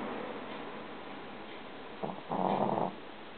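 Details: Shishi, a female Shih Tzu puppy, snoring while asleep indoors; one rough, droning snore of about half a second, preceded by a softer short breath, over a steady room hiss.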